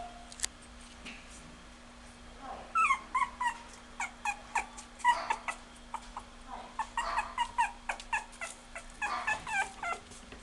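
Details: Female Smooth Chihuahua giving high, thin whimpers and short yelps in quick irregular series, some rising then falling, over a steady low electrical hum.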